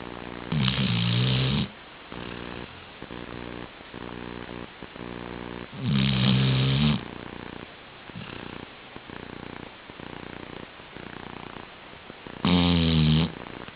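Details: Labrador Retriever snoring while asleep: soft repeated breathing rasps, interrupted roughly every five to six seconds by a loud, drawn-out rumbling snore lasting about a second.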